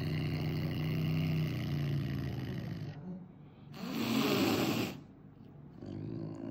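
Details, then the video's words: Angry caracal confronting veterinary staff: a low sustained growl for three seconds, a short pause, then one loud harsh hiss, followed by a softer rumble. "angry caracal hisses at vet staff"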